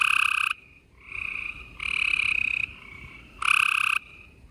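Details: Spring night chorus of gray treefrogs in Houston, Texas, recorded April 28, 2020: strong pulsed trills about half a second to a second long, separated by brief softer trilling and short near-silent gaps.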